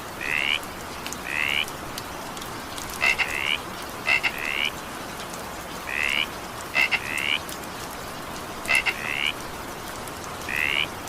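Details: Frogs croaking as evening rain falls: short hoarse rising trills, some doubled and introduced by sharp clicks, come irregularly about twenty times a minute over steady rain noise.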